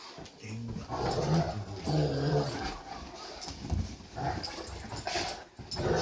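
Great Danes give deep, rumbling barks and growls in bursts during rough play.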